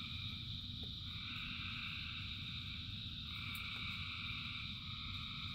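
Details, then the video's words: Frogs in rain form a continuous massed chorus of layered, ringing trills at mid and high pitches, with one band dropping in pitch partway through, all above a constant rumbling wash of rain. "Frogs in Rain 2 Hours of Frogs, Thousands of Frogs Singing"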